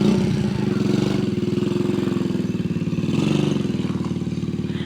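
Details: A motorcycle engine idles and revs steadily outdoors, with faint clatter and no animal voice heard.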